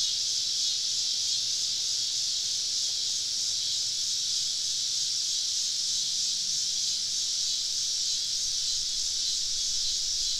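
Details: Many cicadas surround a campsite deep in the woods on a southern summer evening, merging into one unbroken, shimmering high hiss that holds level throughout.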